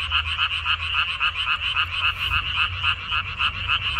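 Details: Many frogs croaking together in a minari field, recorded 14 May 2021; loud throaty pulses repeat about three or four times a second in a rolling rhythm.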